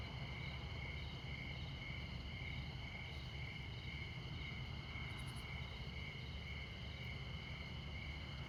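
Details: Montana crickets chirping at midnight close to I-94, the northernmost US interstate: a continuous high, ringing trill, fairly even in loudness, with a steady low traffic drone below and a few faint, very high ticks.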